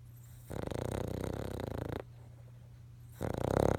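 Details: Sleeping King Charles Spaniel snoring while dreaming: one long, gravelly, pulsing snore of about a second and a half, a pause, then another throaty snore starting, with a constant low background hum.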